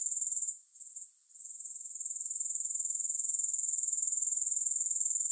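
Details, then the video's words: High, shimmering insect trill credited to grasshoppers, pulsing quickly at about four beats a second. It dips and wavers early on, then settles into an even, continuous drone with no other sounds. "3 Hours of Grass Hopper Sounds"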